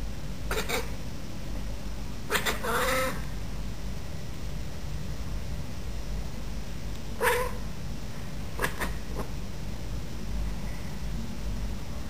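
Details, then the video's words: Female Bengal cat, a pet, talking to a bird in the garden, behaviour shown only when birds are around: several short, clipped, raspy chirps spaced a few seconds apart against constant low background rumble. "My Pet Cat Talking to Birds"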